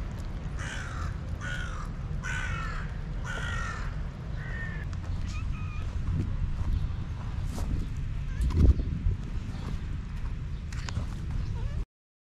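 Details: Homeless city cats crowd toward a person calling them for food. Four quick, wavering meows follow one another early on, then fade to scattered faint mews over constant low traffic-like rumble before the sound cuts out.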